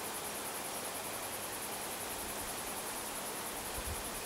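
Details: Cicadas in a rural area give a steady, high, finely pulsing buzz over a broad rushing hiss.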